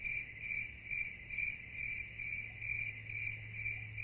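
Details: Crickets at night: a steady, high-pitched chirping pulsing roughly twice a second, with a faint low hum underneath.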